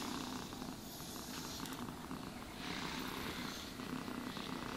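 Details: House cat purring as it is groomed with a brush; an even, low vibrating rumble pulses steadily beneath repeated soft brushing strokes.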